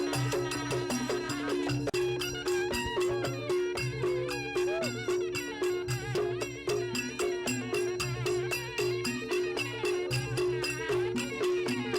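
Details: Lively traditional folk music with a reedy wind instrument playing over rapid, steady rattling percussion, plus faint voices; no animal sounds are heard.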